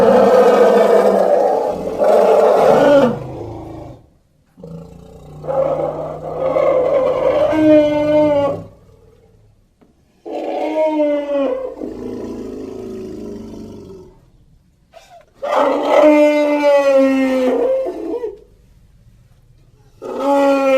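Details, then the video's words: Elephant producing a series of loud, harmonic, brassy calls with wavering pitch, each lasting one to three seconds, separated by short pauses, some ending in lower grumbling tones. "Som de elefante - elephant sound"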